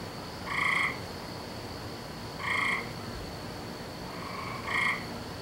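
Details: Frogs calling at night on 17 May 2012, a nightly sound in this season: three short, bright harmonic croaks roughly two seconds apart, the last preceded by a softer note, over a steady hiss.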